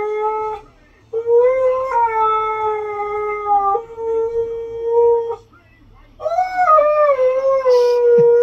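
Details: Husky howling, praised for a good voice: three long howls separated by short breaths, the first two fairly level and sustained, the last rising sharply then sliding down and wavering; quiet background.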